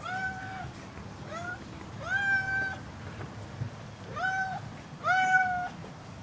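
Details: A run of five clear, drawn-out meows from Ludwig, the domestic cat, each a level, slightly wavering tone with a falling end, about one second apart, in a quiet indoor room.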